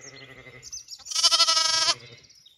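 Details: Young Zwartbles lamb exploring away from its grazing mother on a County Kilkenny farm in Ireland gives a sharp, quavering high bleat, preceded by a lower, softer bleat.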